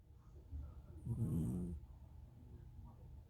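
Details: Cat snoring: one rasping, low, breathy snore rising and fading within about a second, otherwise quiet.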